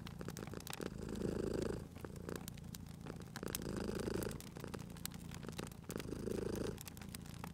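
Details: A sleeping cat purrs beside a crackling fireplace in a cozy spring setting; low rumbling purr swells in bursts roughly every two and a half seconds, with fire pops and snaps crackling throughout.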